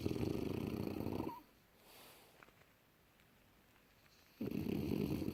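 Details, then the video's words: Snoring of a young French Bulldog deeply asleep in January 2018: loud harsh buzzing breaths, one ending in a brief squeak, a three-second quiet gap, then another rasping snore. "Junior bouledogue français rigolos qui ronfle profondément"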